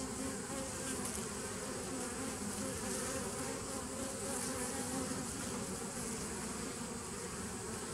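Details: Bees recorded on 27 September 2018: a dense, steady droning hum from many insects, low and continuous throughout with a faint higher hiss above it, no pauses.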